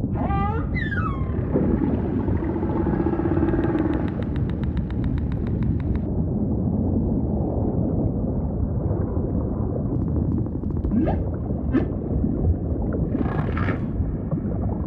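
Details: Humpback whale song with ocean ambience: an opening upsweep, then a rapid train of clicking pulses for several seconds, followed by low rumble with a few short scattered cries near the end.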